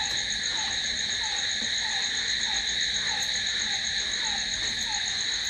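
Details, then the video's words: Crickets at night keep up a constant piercing trill in stacked high tones, while a softer lower note pulses regularly in the background, about four times per second. "Cricket sound🦗🦗🦗to sleep... Try it.... Night's in hands of cricket"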